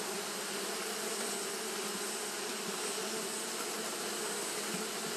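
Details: Japanese honey bees fanning in the heat, giving a loud, steady massed buzz with strong low humming tones and a bright hiss, unbroken throughout.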